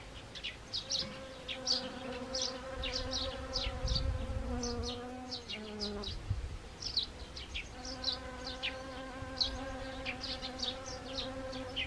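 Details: Honeybees among autumn-flowering Siberian chrysanthemum in Gangwon Province, Korea, on 1 October 2020. A steady, humming buzz with rich overtones rises and falls as bees pass, dips briefly around midway, and is overlaid by frequent short high chirps.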